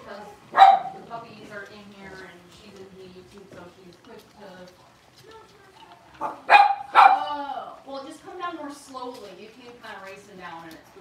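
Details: Indoor puppy pen holding five blenheim Cavalier King Charles Spaniel puppies, six weeks old; two bursts of shrill barking, one near the start and a double bark past the middle, stand out over ongoing human chatter.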